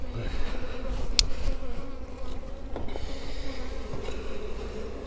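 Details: Steady droning hum of many Western honey bees at a managed hive during a second colony split and the addition of an extra box, as honey begins coming in; a continuous buzz with one sharp click and faint handling sounds.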